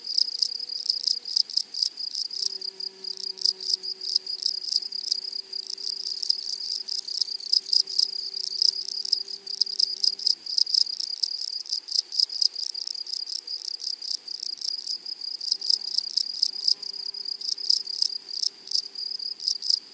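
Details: Meadow grasshoppers in flowery prairie grass make a constant high, hissing, pulsed buzz, their chirps packed densely across the whole stretch, with a faint low hum in the background.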